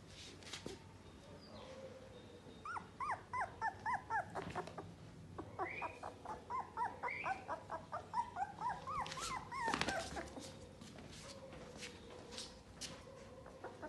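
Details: Dachshund puppies giving many short, high yelping whimpers with rising and falling pitch, often several at once, in rapid irregular bursts of around two per second, with some background noise.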